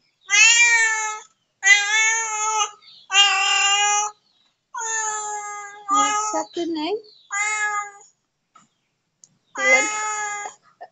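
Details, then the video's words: A neighbour's domestic cat meowing in a series of long, drawn-out, strongly harmonic meows, roughly one every two seconds, with short gaps and a few shorter, broken sounds midway. "Neighbor's cat"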